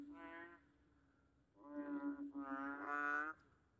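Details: Frogs in Singapore calling a lot after heavy rain give loud, nasal, honking croaks, each about half a second, in a ragged series; small frogs with large bellies.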